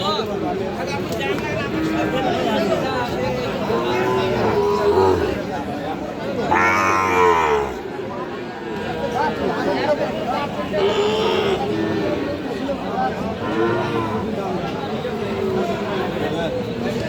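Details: At Aftabganj market, where Sahiwal bull calves are being sold on 6 August 2025, a single loud, low bellow lasting about a second cuts through steady bargaining speech and market crowd noise.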